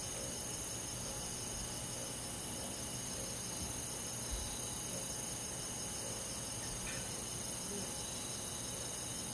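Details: Crickets and other insects chorusing on a summer night in a countryside forest: steady, high shimmering trills layered in several pitch bands, a fast pulsing band at the top, over soft continuous low background noise.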